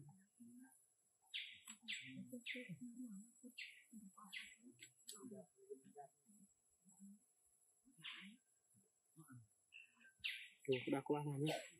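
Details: Baloo, a young orphaned monkey, begs for more food with short, high squeaky chirps in quick bursts, about one per second early on, a louder flurry near the end, people talking quietly underneath.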